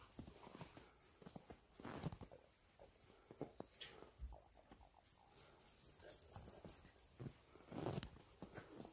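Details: Jindo dogs, a family of several, playing excitedly in piled-up snow: short rough vocal bursts and snuffling scuffles come in uneven clusters, with louder, broader outbursts near two and eight seconds over a background of movement.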